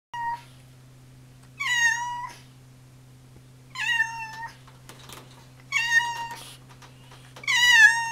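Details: Orange tabby domestic cat meowing indoors: four drawn-out meows roughly two seconds apart, each bending down then level, bright and nasal, over a steady low electrical hum.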